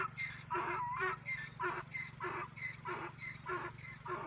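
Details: Donkeys meeting, giving a run of short harsh braying bursts about every half second, rough and breathy with a strong upper tone, over a steady low hum.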